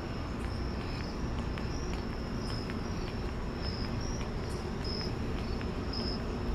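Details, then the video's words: Crickets at night, heard on a walk to the store: thin, high chirps in short bursts, repeating about every half second to second, above a steady low rumble of traffic and footsteps. "Relaxing White Noise and Crickets"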